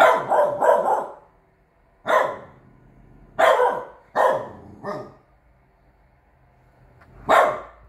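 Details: Playing guard dog, Frow Frow (Bear), a Chow Chow x French Bulldog puppy aged three months, born 12/08/21, gives a string of about seven sharp, throaty barks, some in quick pairs, others spaced a second or more apart.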